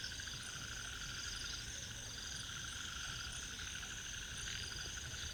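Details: Ornate narrow-mouthed frogs (Microhyla ornata) call in a dense chorus of raspy, rapidly pulsed notes at Inamauwa Tank, Dambulla, Central Province, Sri Lanka.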